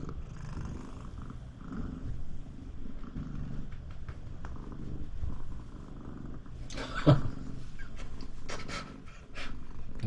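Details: Pet Siamese cat Shamue keeps up a booming purr to block the owner's bath; deep, even rumbling throbs steadily, then bathroom rustling and clatter break in toward the end before the purring resumes.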